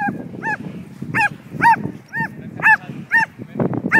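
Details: Excited from herding a flying kite, the Border Collie mix Betsy lets out a rapid string of about nine loud, high yelping barks, each with a rising-falling ringing tone, over low background rumble.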